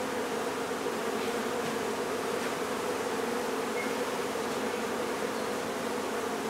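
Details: Honey bee colony being removed from a barn in La Feria, Texas: a dense, steady buzzing hum with a low droning band, unbroken throughout, with no other clear sounds.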